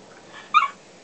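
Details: Dog giving a single brief, high whiny yelp in reply to its owner's questions about its office day, surrounded by quiet indoor pauses.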